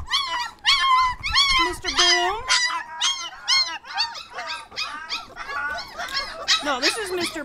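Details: Border Collie puppies, 25 days old, shut in a crate for a few minutes while their play area is cleaned, 'singing' together: overlapping high, wavering whines and squeaks, rising and falling, tumbling over each other in a steady, busy stream.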